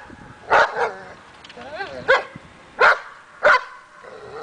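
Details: A dog barks during agitation table training meant to build confidence and barking; four short sharp barks spaced under a second apart, with a brief wavering whine between the second and third.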